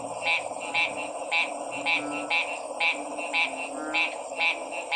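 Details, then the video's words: Frog croaks stand out clearly, each a brief, rasping, bright pulse repeated roughly twice a second. A soft, constant chorus and hum fill the background. "Sounds of 🐸 Frog's"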